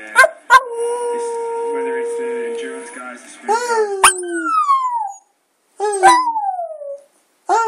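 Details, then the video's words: Border Terrier moaning and howling in a drawn-out "singing" bout: a steady held tone for over two seconds, then several loud wavering howls that slide downward, separated by short silences. "My Border Terrier Singing"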